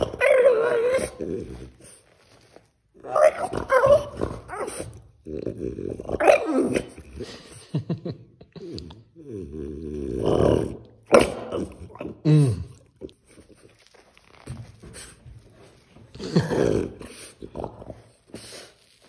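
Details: Tantrum from a French bulldog, a long run of grumbling growls, wavering whines and moaning yowls in irregular bursts with short pauses, some stretches rising and falling in pitch.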